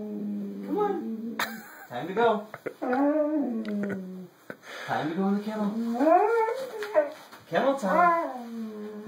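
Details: Siberian Husky dogs vocalizing indoors: a run of wavering, drawn-out howls that rise and fall in pitch, some bending upward into whine-like slides, repeated in several bursts over nine seconds while a person talks over them.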